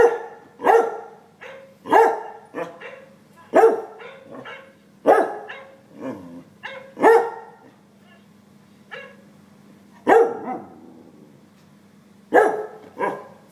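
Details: Cocker spaniel reacting to a dog shown on an iPad; sharp single and double barks spaced a second or two apart, some softer yips between, low background hum.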